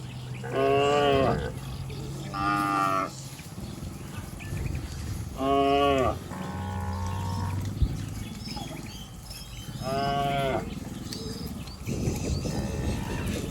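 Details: Herd of cattle running and leaping down a green hill in a village setting, giving loud harmonic moos at about 1, 3, 6 and 10 seconds, with fainter lower calls between and steady background rumble.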